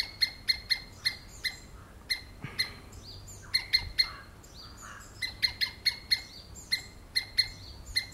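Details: Squirrel screaming: sharp, piercing chip notes repeated in quick bursts, several per second, with brief pauses and a few softer slurred notes between; quiet background.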